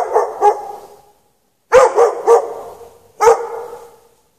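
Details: Dog chained out in the snow with no shelter for several hours at night, 3 March 2014, between 8 and past 11:30 PM; two sharp echoing barks, a pause, then a quick run of three barks and one more, each ringing out in still air.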